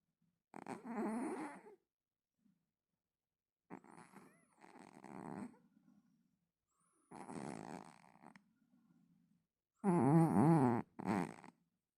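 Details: Domestic cat snoring indoors: four harsh, buzzy snores lasting about a second each, a few seconds apart, with softer exhaled rasps trailing after them. The last snore is loudest and is followed by a brief extra burst.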